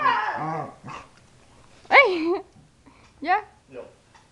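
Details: Playing pet dogs: a human voice at the start, then two sharp, rising yelping barks about a second apart, followed by a softer short yip, with quiet gaps between.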